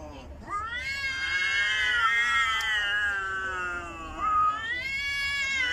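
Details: Domestic cat angry at another cat gives a sustained, wavering yowl lasting about five seconds, with a rising surge near the end; a woman's voice urges it to stop fighting.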